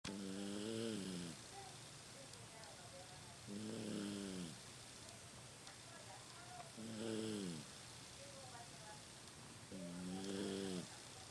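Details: Rocky, a 15-year-old Toy Poodle asleep at home, his snoring grown louder with age: four rough, harmonic inhaled snores, each about a second long, returning every three to four seconds over a quiet indoor hiss.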